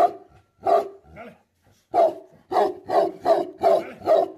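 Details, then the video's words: Angry Tibetan Mastiff, known in Nepal as Bhote Kukur, giving deep barks: two separate barks, a pause, then a run of five loud, evenly spaced barks about every third of a second. "Angry dogs barking effect sound ||Tibetan Mastiff || Bhote Kukur"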